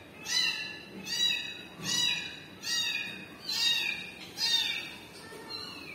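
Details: Kitten crying for its mother cat: six high, thin, harmonic mews, each swelling then sliding down, repeated roughly once a second in a steady series, with only faint background noise.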